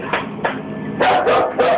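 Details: Full-grown dog barking nervously indoors while refusing to go near something and keeping a wide distance: a few short, harsh barks, the last three close together, over a steady background hum.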